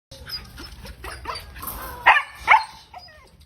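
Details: A 4-month-old German Shepherd puppy gives a series of soft yips building to two sharp, high barks.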